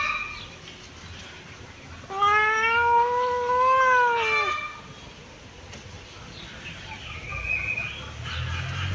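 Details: Sunbathing kitten giving one long, clear meow lasting about two and a half seconds, steady then slightly falling at the end, followed by quieter background rustle and a faint high tone.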